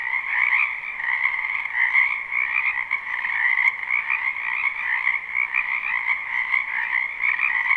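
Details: Continuous frog chorus from a wetland behind a house in spring, live and unlooped: countless overlapping croaks form a steady buzzing hum in two bands, fluctuating slightly, with one brief click near the middle.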